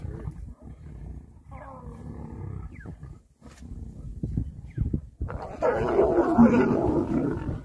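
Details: Male lion approaching a female to mate in the wild; after low murmuring and scattered thumps, a loud, rough, broadband roar erupts and holds for over two seconds at the end.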